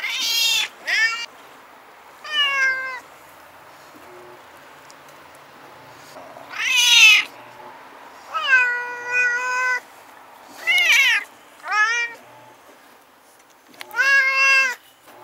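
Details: Two stray cats, Shiratan and Kuro-chan, regular visitors who battle each other night after night, filmed on a Nikon Coolpix S01; eight harmonic wailing yowls rise and fall in separate bursts, some drawn-out and wavering, against a quiet background.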